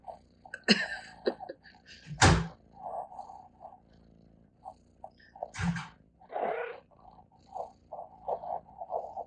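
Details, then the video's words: Pet cat making chirps indoors. Short mid-pitched chirps come in quick irregular runs, broken by a few sharp broadband bursts, with quiet gaps between groups. "CAT CHIRPS UNCONTROLLABLY"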